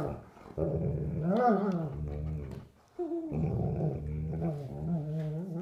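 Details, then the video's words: Sable German Shepherds, an adult of three years and a nine-week-old puppy, at play indoors without a toy; sustained low growling with rising and falling whiny tones, broken by one short silence midway. "German Shepherd plays with puppy"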